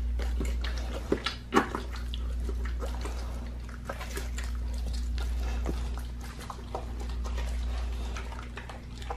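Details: Raw-fed pit bull eating a leg of lamb; scattered crunching bites and moist smacks, with two louder cracks early on, all set against a constant low-pitched room hum.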